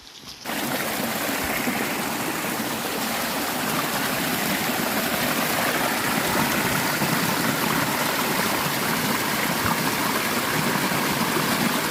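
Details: Steady rushing of a stream fills the recording, with no animal voices standing out. The broad, even wash of flowing water continues throughout without any calls.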